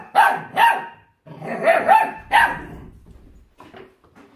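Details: Puppy about forty days old, obsessed with its raw food, lets out repeated harsh barks in quick succession in a small room, fading into softer snuffling sounds.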